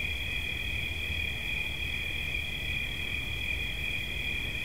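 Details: Continuous shrill cricket chirping, two steady high tones running without pause, with a soft low rumble underneath.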